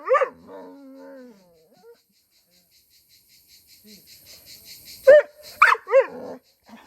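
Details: Pit bull, said to be jealous of another dog because a family member sits with it, giving a short high wavering whine, then quiet, then three sharp loud barks near the end.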